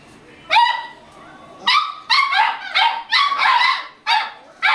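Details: Playful Beagle puppies give seven high, sharp yipping barks, spaced about half a second to a second apart, over a quiet background.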